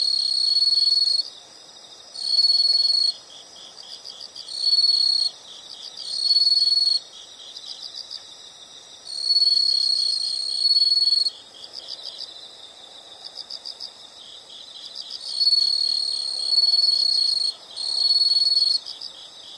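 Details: Several insects chirp together in a calm nature recording: loud high trills come in bursts of one to two seconds, roughly every two seconds, over a constant softer pulsing chorus.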